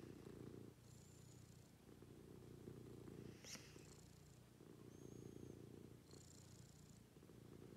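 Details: Pet cat purring through a daily morning routine, a continuous low throbbing rumble rising and falling with each breath, broken by a brief sharp click midway and faint high tonal sounds.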